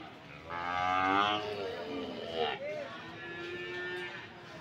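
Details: Lowing from PO cattle at Sokaraja livestock market, Banyumas, Indonesia: a drawn-out moo of about two seconds with wavering pitch, swelling then fading. A short upward-bending call follows, over steady market background noise.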